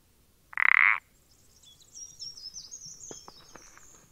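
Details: A single rasping, rapidly pulsed croak from a common parsley frog recorded 14 April 2020, followed by high twittering and a few soft clicks.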